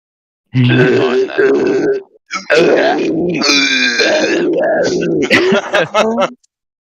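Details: Tasmanian devil recording played back, a harsh, strained growling and screeching in several bursts, rasping with rough overtones, broken by short silences, described as sounding like something strangled under water.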